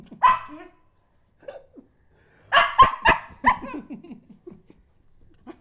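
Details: Irritated pet dog barks when someone blows on its tail, giving a single loud bark, a soft grumble, then a rapid cluster of harsh barks trailing into low growly whines.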